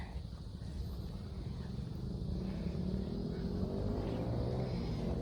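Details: Steady low traffic rumble and outdoor hiss with no clear animal calls.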